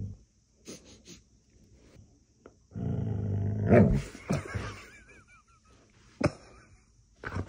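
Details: Siberian Husky at play, sniffing: a rough, low rumbling vocalization lasting about a second, breaking into a brief rising whine, then a thin wavering higher whine trailing off, with scattered clicks and handling noises around it.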